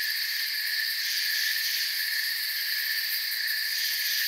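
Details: Crickets chirping in a forest setting: a short stretch of dense, continuous high-pitched trilling, several bright layers stacked together at constant volume, no other sounds standing out.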